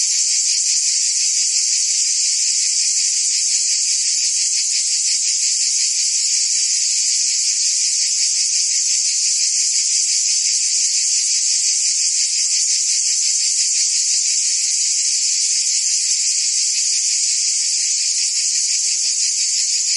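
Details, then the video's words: Cicadas singing in summer in Provence, France: a dense, continuous high buzzing chorus with no pauses, steady in loudness throughout, carrying a faint rapid pulsing beneath the hiss. "Cicadas singing in France (Provence)"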